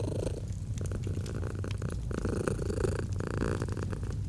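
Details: Gentle purring of a domestic cat beside a fireplace in cozy autumn ambience; continuous deep vibrating rumble with breath-by-breath surges, and scattered snapping pops from burning wood.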